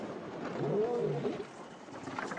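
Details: At night, a lioness off on her own gives a distant, low moaning roar that swells and fades over about a second, calling and listening for an answer as she tries to locate her pride.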